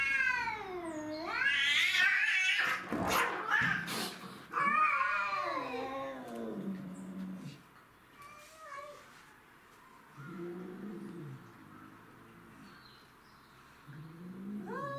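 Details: Domestic shorthair cats, including Tom, Mimi and a neighbourhood stray, fighting over territory: loud harsh screams and spitting bursts with scuffling noise, then quieter intermittent growling yowls.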